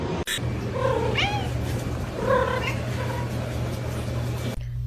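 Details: Domestic cat meowing indoors, giving two or three short, rising then falling meows over a steady low hum, with a person talking nearby.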